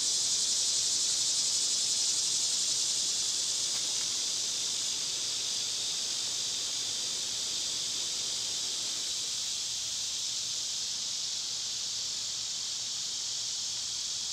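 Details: Cicadas singing in summer, when they are loud this time of year: a steady, high, hissing buzz that runs unbroken through the whole stretch with a faint pulsing texture, fading slightly after the middle, with no other clear sounds.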